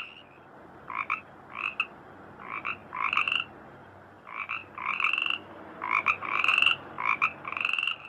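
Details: Frogs calling in a rice field, a chorus of short harmonic croaks in bursts, some notes rising, repeated roughly every half second to second, with quieter gaps between bursts.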